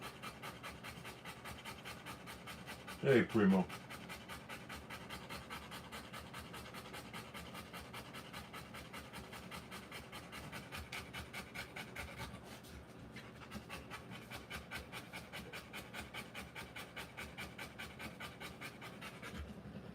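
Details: Rottweiler mother panting while giving birth to puppies, quick rhythmic breaths at about 158 a minute, interrupted by a short loud noise early on and a brief pause midway; a voice is faintly present.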